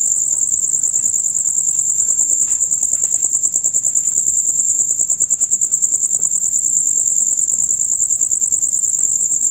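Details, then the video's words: Male crickets in a dusk-to-dawn concert, producing a loud, rapid chirping; the high, even trill pulses without pause across the whole stretch over a quiet, faintly noisy background. "Crickets on Concert"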